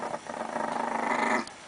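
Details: Very angry Chihuahua growling over pancakes while someone begs it to share: a rough, rasping growl held for over a second, rising in intensity before stopping abruptly, with a pleading voice nearby.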